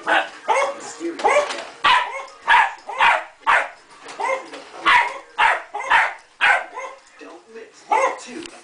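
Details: Male terrier dog that hates the vacuum cleaner, barking at it; a steady run of sharp barks roughly every half second, with a person's voice and laughter mixed in.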